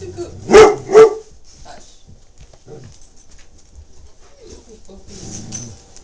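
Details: Lloyd, a 21-month-old Great Dane puppy up for adoption, meeting Tigger: two loud, deep barks in quick succession near the start, then quiet with soft murmuring voices and faint shuffling.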